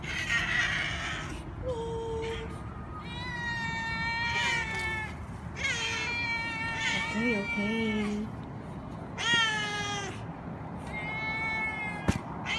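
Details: Several domestic cats calling for food at the main door of a building: a run of drawn-out, wavering meows, some rising and falling, overlapping one another, with a man speaking quietly to them between calls.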